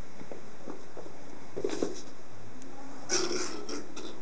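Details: Cat indoors in a room kept for cats, giving two short meows, the first soft and low at under two seconds, the second louder and brighter near three seconds, over a steady low room hum.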